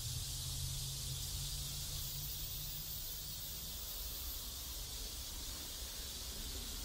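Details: Continuous shrill buzz of cicadas in a South Korean neighborhood, steady throughout, with a low humming drone audible in the first half.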